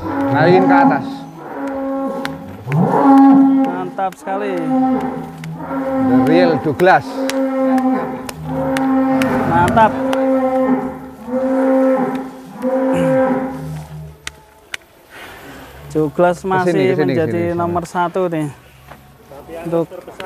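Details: Indonesia's largest Angus, Douglass the king of Angus cattle, moos again and again, about eight steady, droning, harmonic calls every one to two seconds. Clanks and voices are heard near the end.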